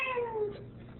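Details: Female Ragdoll cat guarding the door indoors, arguing as her owner tries to leave: one short, fairly soft meow that slides steadily downward in pitch and fades out, with a faint hum in the room.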